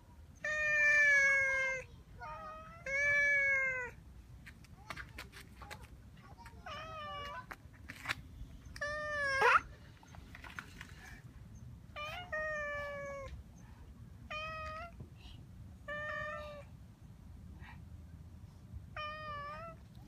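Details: Cat meowing repeatedly, about nine calls: two long, loud, sustained meows at the start, then shorter rising-falling mews every one to two seconds, with sharp tapping clicks and a low hum underneath.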